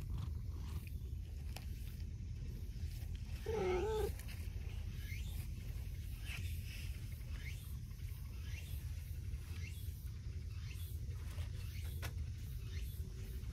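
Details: Stray cats, a clingy brown tabby repeatedly cutting in beside a gentle orange-and-white cat, outdoors: a single short, wavering meow near the middle over steady low rumble, with faint chirping ticks in the background.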